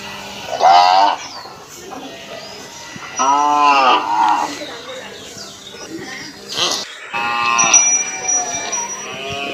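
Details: Indian cow from Assam in a village setting; repeated deep, harmonic moos roughly every two to three seconds, some rising then falling, with faint voices and rustling in the background.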